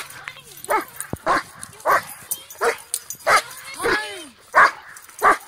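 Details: A male Great Dane greets his mom (owner) with a rapid run of excited yelps, whines and short barks, happy to see her.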